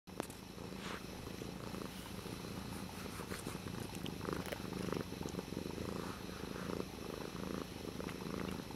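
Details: Pet cat Dutchess playing with a water bottle lid; a steady low rumbling purr runs throughout, overlaid by scattered light clicks and taps from the lid.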